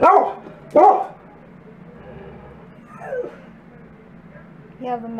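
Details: Wolfdog and Great Pyrenees mix dogs excited over a box of treats; two sharp barks at the start, then a whiny falling yelp and a higher rising whine near the end over a quiet indoor background.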